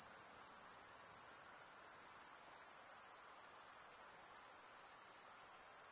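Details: A constant high, shimmering insect trill at night, evenly sustained from start to finish, with gentle faint background hiss underneath.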